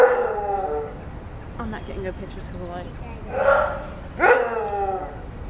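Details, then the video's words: A maned wolf at dawn in the National Zoological Park, Washington, D.C., gives loud, hoarse barking howls that drop in pitch, a few seconds apart. "Maned Wolf At Dawn"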